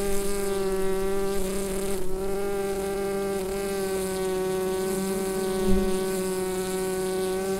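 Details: Honeyed drone of bees in their hive, Rode NT-USB microphone; steady layered buzzing briefly ruffled near two seconds, with a soft low thump toward the end.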